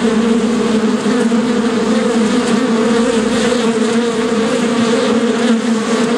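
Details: Continuous bee buzz, an even, loud droning hum with layered harmonics that holds steady for the whole stretch, only small fluctuations in intensity.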